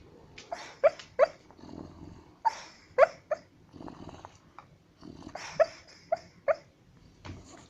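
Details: Sleeping white house dog muttering in its dreams: sharp little muffled yips and soft woofs, spaced irregularly, between quieter breathy murmurs, in a quiet room.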